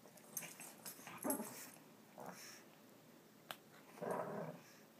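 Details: Two Shih Tzu dogs playing indoors, one wanting to be chased; soft, short growling and whimpering bursts separated by quiet gaps, with a sharp tap partway through.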